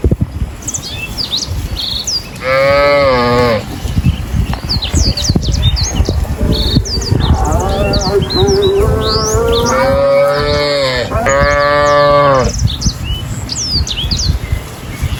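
Cows give deep, drawn-out moos while small birds chirp in the background.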